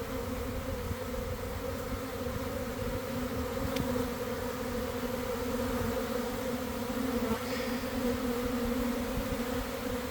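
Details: Honey bee swarm developing close to garden hives around one in the afternoon as weather turned favourable after cold, damp days; a constant, dense low-pitched drone of wings fills the whole recording.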